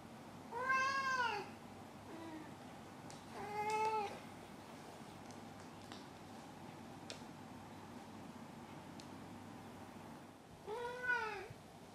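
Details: Male domestic cat meowing after catching a toy, then rolling onto his back, apparently proud: three clear, drawn-out meows that rise and fall in pitch, near the start, around four seconds and near the end, with long quiet gaps and a steady low hum.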